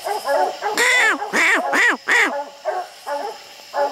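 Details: Several dogs barking at raccoons treed up a steep, slick hillside, with six coons up the trees. Loud, ringing bawled barks with arched, harmonic tones come in uneven bursts, a few louder ones then softer, overlapping barks. A man talks nearby.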